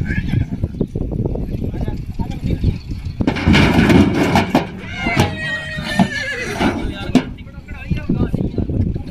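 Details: Female foal in Hanumangarh whinnies after its leg was trapped in a vehicle during careless unloading. A wavering, descending whinny sounds near the middle, over men talking and handling noise.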